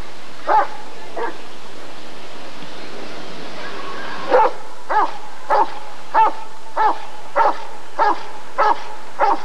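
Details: Rottweiler at a 1994 ADRK Körung breed survey barking in a steady series: two barks, a pause, then eight evenly spaced barks about every 0.6 seconds over a constant low hum.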